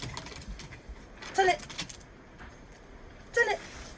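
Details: Female dog with an unusual bark since puppyhood, likened to a sea lion: two short, hoarse, honking barks about two seconds apart, with a person speaking and household noises in the background.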